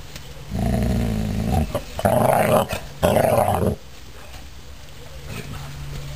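A Basset Hound gives deep, rough, drawn-out vocalizations in three close bursts.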